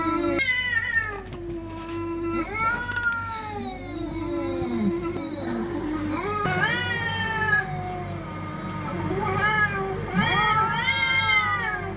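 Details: Fighting cats trade strained, wavering yowls, one voice low and growly, another higher and sliding upward, with calls overlapping almost continuously above a constant low droning pulse.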